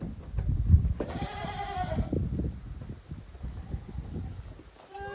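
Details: Young goat kids playing hard in an exercise yard on a handmade goat farm in Japan, 30 April 2023; one clear wavering bleat lasting about a second, with thumping, scuffling play noises and a short cry at the end.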